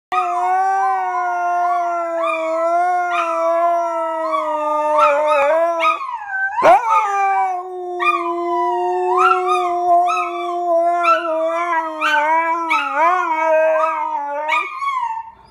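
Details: Husky and Pharaoh Hound vocalising together, described as singing a song; a steady harmonic howl near one pitch holds for seconds with wavering overtones, broken by short yips and quick rising yelps layered over it.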